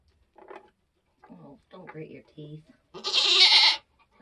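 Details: Nigerian Dwarf goat doe during kidding on a homestead lets out one loud, raspy, drawn-out bleat after a woman's soft murmured words.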